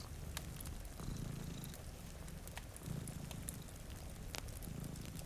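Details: Low, rolling purr from two cats asleep before a rain-streaked window, rising in bursts about every two seconds beneath crisp popping from a crackling fire and light rainfall.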